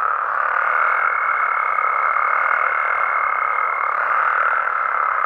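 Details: Mexican frogs and toads calling at night in their natural habitat: a dense, unbroken chorus of croaking with a steady, thin high whine running from about half a second to four seconds, then fading.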